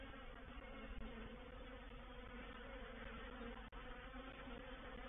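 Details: Reproductive swarm of honey bees entering a bait hive at Painted Peacock Manor, 04/07/21: a thick unbroken buzzing of countless wings, layered low tones, one sharp click near the end.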